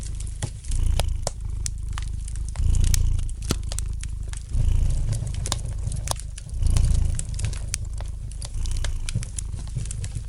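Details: Relaxed domestic cat purring, the low rumble growing louder in regular breath cycles roughly every two seconds, accompanied by the light crackling of a fire in the fireplace.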